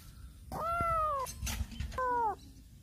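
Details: Black cat meowing loudly while circling around a person: two clear, tonal meows, the first long and level and slightly falling, the second short and dropping, over a low background rumble.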